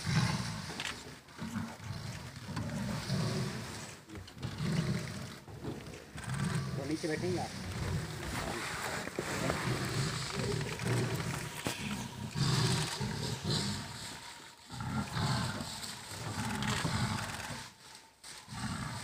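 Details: Wild tigers in Kanha National Park, India: a dominant mother drives her 26-month-old daughter from her territory in a fight. Deep rumbling growls come in repeated low bursts, with people speaking quietly nearby.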